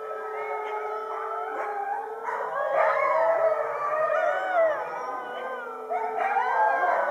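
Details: Around 50 huskies in winter howl in chorus after being fed, beneath a full moon; layered long tones hold steady then bend up and down, with new voices entering near the middle and end, swelling louder.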